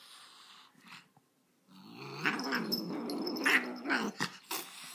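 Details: After near silence, an angry dog breaks into a continuous low, throaty growl that wavers in pitch and loudness, with a few sharper, higher snarls toward the end.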